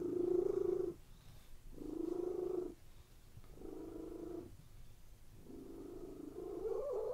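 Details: ['Domestic cats lying on a bed, purring in a relaxed state; the steady low rumble comes in phrases about a second long separated by short pauses, each breath cycle clearly audible, in a quiet indoor room.']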